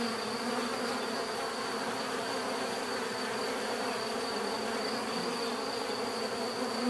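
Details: Many bees buzzing together in a steady, dense drone, low hum with layered overtones holding even throughout, a thin constant high whine running above it.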